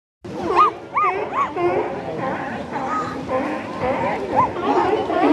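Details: Sea lions at Pier 39, 29 January 2011, barking in a noisy chorus of hoarse, arching honks, with people barking back at them and human voices mixed in.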